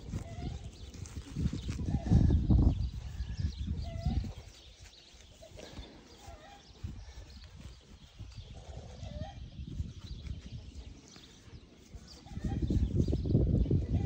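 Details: Pair of young kept wild boars, one recovering from a stomach upset earlier that day, make deep rapid grunting bursts at the start and again near the end, with softer snuffling and shuffling in between.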